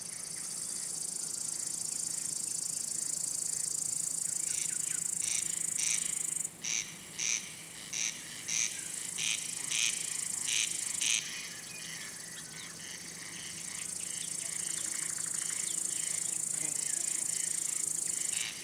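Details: Male cricket song, made by rubbing the wings together to attract females, court them or drive away other males; a short run of bright chirps in the middle sits over a continuous high-pitched insect drone.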